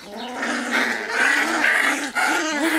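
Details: Wirehaired Pointing Griffon puppies playing rough as one female harasses the litter: continuous wavering whines mixed with low playful growls and brief yips, rising and falling throughout.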